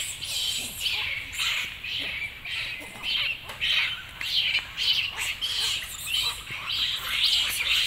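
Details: Baby monkey Lucie crying loudly and having a tantrum at her mother after being refused milk; shrill, harsh, high-pitched cries come in rapid uneven bursts, rising and falling, filling the whole stretch with little else heard.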